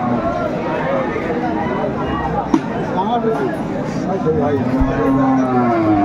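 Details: Dairy cows and calves being traded at Aftabganj market on 26/5/24 give a drawn-out, low moo near the end, half buried under crowd chatter, traders' voices and vehicle noise.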